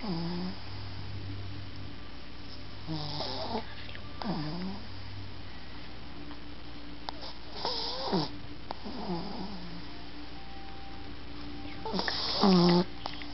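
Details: Shih Tzu puppy Toff asleep in its owner's arms, snoring in a series of nasal, whistly bursts with bending pitch, six breaths spaced one to four seconds apart, with a faint indoor hum between them.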